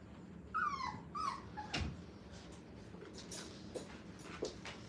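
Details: Five-week-old puppies on their first time in a playpen, indoors: two high, thin whimpers slide downward within the first second and a half, followed by quieter room noise with a sharp knock and a few soft clicks.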